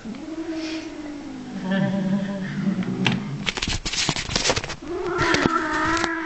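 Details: Blacky, a 15-year-old angry domestic cat in Norway, gives a low drawn-out growling yowl, then rising harmonic wails, with Norwegian speech and handling clatter in the middle.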